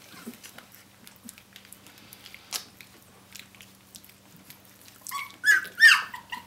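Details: Seventeen-day-old puppies of the dog Brenda calling for their mother: quiet ticks and shuffling, then two loud, high, wavering squeals near the end, with a steady low hum throughout.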